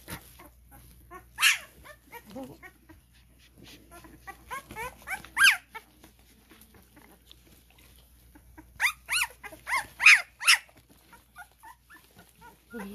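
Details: Several twelve-day-old Cane Corso puppies crawling about at a kennel, whining in high, downward-sliding squeals, with a burst near the start, softer mutters, then a loud run of cries toward the end.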